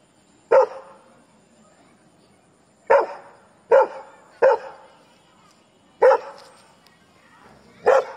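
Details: Labrador Retriever barking at strangers: six loud, sharp single barks at uneven intervals, with a long pause after the first and then a quicker run of three, over a quiet background.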